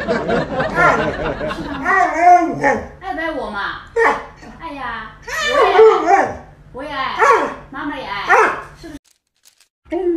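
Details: Alaskan Malamute vocalizing at mealtime: a string of short, bending, whiny yowls and grumbles, each rising then falling, with human voices and background music mixed in.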